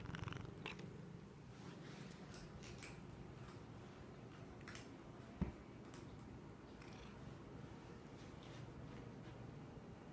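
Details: A male kitten makes odd noises while eating. A continuous low purr-like rumble fills the clip, with scattered faint clicks and one sharp tap midway, indoors.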